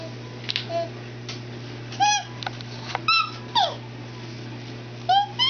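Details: Pest, a nine-year-old female house cat, follows an 18-month-old toddler around indoors during dress-up play when ignored. She gives several short rising-falling meows with clear harmonics, spaced about a second apart, against a steady electrical hum.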